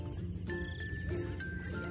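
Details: Wild black field cricket singing at night, seen from a distance as a small black dot in a dark spot: loud, shrill pulsed chirps roughly four per second, with a soft low hum and a faint voice behind.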